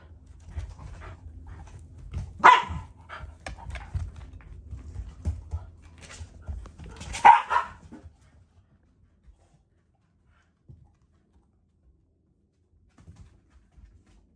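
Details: Shiba Inu and black Labrador play-fighting over ice indoors, the Shiba growling affectionately, not angry; two sharp bark-like yelps near two and seven seconds over low rumbling, then near silence.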